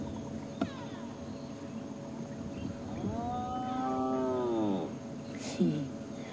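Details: Wild spotted hyena at sunrise in Sabi Sand, 17 January 2016, giving a low contact call that other hyenas can hear a couple of kilometres away. One drawn-out, cow-like moan rises slightly, then falls away, followed by a brief second call over faint background noise.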